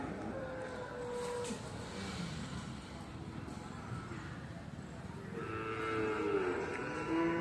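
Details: Jafarabadi buffalo bull, a Boori and Jafarabadi mix, brought to the Sunday Erragadda buffalo market; a short low call early on, then a longer rising bellow in the last two seconds amid market chatter and passing vehicles.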